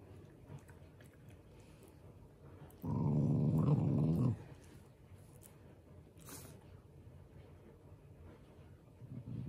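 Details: Affectionate, not angry Shiba Inu, a beloved family pet, gives one low, continuous growl lasting around a second and a half amid otherwise quiet surroundings, with faint background rustles.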